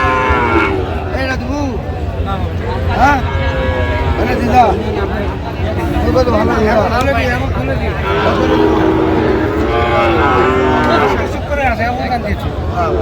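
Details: Sahiwal bull calves for sale at a busy Chattogram market in Bangladesh, 29 January: several drawn-out moos rise and fall through the scene, mixed with constant talk of buyers and sellers and background market noise.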